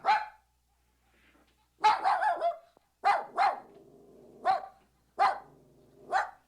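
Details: Puppy producing sharp, high yaps, one alone, then a clustered trio, then a double and single barks with brief ringing tails, spaced roughly a second apart in silence.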